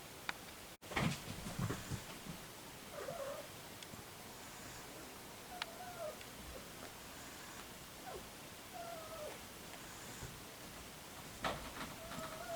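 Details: A three-week-old ginger tabby kitten, just recovered from sneezing, runny nose and a blocked nose, gives several faint, thin mews around three, six and eight seconds, some gently falling in pitch, amid soft handling noises and clicks indoors.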